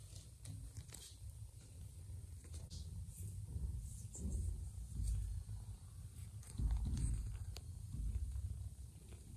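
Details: Purring from Joanna, a mother cat who softened and let a ginger foster kitten nurse after it kissed her; continuous low rumbling swells louder in waves, with light clicks and rustles over it.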